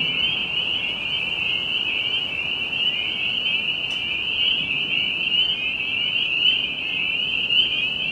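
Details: Tree frogs at a pond near Jamaica Bay, New York City, call in a dense, unbroken chorus of high, buzzy trills with faint low background rumble; green-winged teal are also present.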